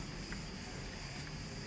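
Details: Crickets on the villa lawns of a beach resort in Crete, Greece, keep up a steady, high, shrill trill beneath low rumbling outdoor noise.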